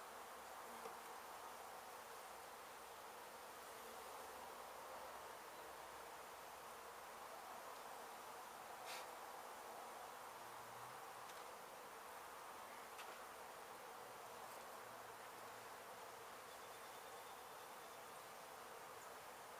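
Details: Honey bees from a hive in an abandoned home under demolition in Mission, Texas, disturbed after construction crews struck it, during relocation; a steady, dense buzzing hum with faint clicks and ticks over it.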